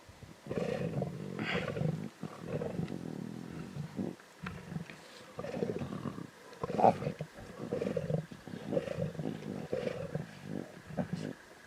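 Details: Lion cubs snarling and growling intensely over a zebra carcass in the Timbavati, Kruger area; long rasping low growls in repeated bursts of one to two seconds, broken by short pauses, with faint background hum.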